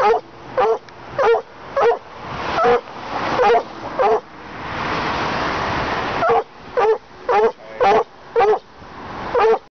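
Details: Elvis, an American black and tan coonhound, baying in a steady string of loud, drawn-out mournful bays, each about half a second, roughly two per second, broken by a longer hoarse howl midway before the rhythmic bays resume.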